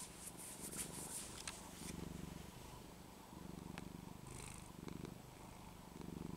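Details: Pet cat Penny purring strongly indoors in Texas on a cold winter day as the scruff of her neck is shaken; low throbbing purr in breathing cycles, with brief rustling and handling noises early on.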